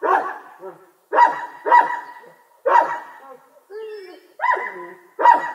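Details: Distant dog giving loud, sharp barks with a whining, wavering note between them, about six barks in all.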